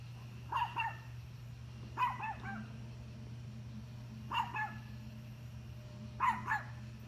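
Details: Domestic dog barking at deer: four short bursts of harsh, mid-pitched barks, some doubled, spaced about two seconds apart, over a steady low hum with otherwise quiet surroundings.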